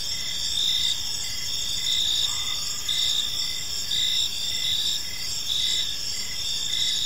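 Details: Evening park crickets give a continuous chorus of high, ringing pulsed chirps in steady overlapping layers. A faint brief mid-pitched tone drifts in midway over a gentle low ambient hum.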